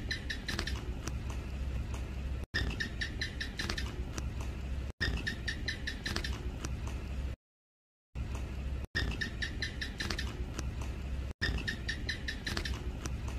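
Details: A common house gecko (Hemidactylus) in a home gives long runs of sharp, dry clicking chirps over a low steady hum.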